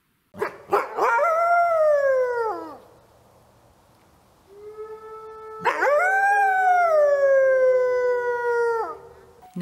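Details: A red wolf at the Wolf Conservation Center gives two long, rich howls that rise quickly then slide downward, a sound between a coyote's and a grey wolf's.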